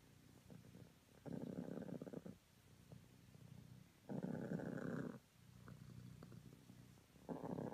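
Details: Honey, a cream self British Longhair cat, purring in the morning; a low rumbling purr runs throughout, swelling into louder, rougher bursts about a second long at roughly three-second intervals, in a quiet room.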